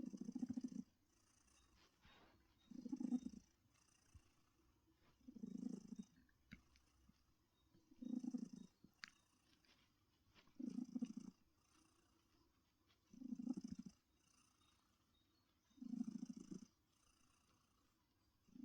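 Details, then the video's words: Purring from Heartie, a friendly adopted female cat relaxing in a favourite comfy chair, comes as steady low rumbling pulses, seven rhythmic bursts each lasting under a second and repeating about every two and a half seconds, with quiet pauses between. "Heartie's Purring Therapy"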